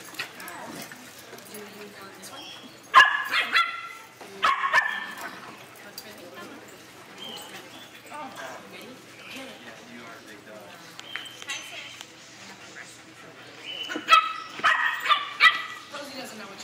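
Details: Hijiki, a three-month-old female Pit Bull mix puppy, playing rough at Petco: short bursts of sharp, yappy puppy barks arrive in clusters around three, four and fourteen seconds in, with people talking in the background between them.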